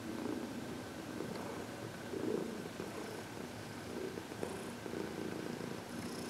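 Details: Senior cat Heidi, aged 14 and once arthritic, purrs contentedly while receiving massage and reiki; low even vibrating purr throughout, with light touches and rustles in a quiet room.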